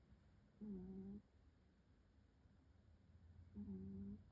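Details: Domestic cat snoring in deep sleep: two soft, low, droning breaths about three seconds apart, each lasting about half a second, over a faint steady background hiss.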